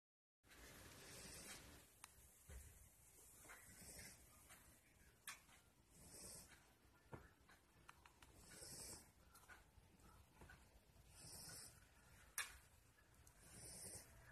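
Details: A sleeping male Lhasa Apso mix dog snores softly, with breathy, hissing rasps recurring every couple of seconds.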